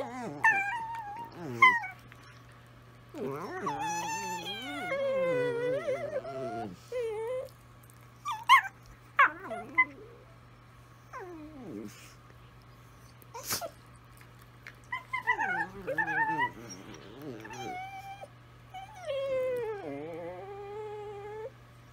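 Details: Several Italian Greyhounds howl together in bursts of rising and falling, quavering tones, some dipping sharply, with quiet gaps between phrases and sharp knocks scattered through a faint constant hum.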